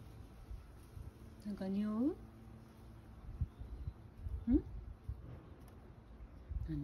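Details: Sacchan, a male rescue cat living at Kazeno Kobo with an elderly woman, calls indoors wanting to be let out: one drawn-out rising meow, then a short upswept second one a few seconds later, with quiet household talk around it.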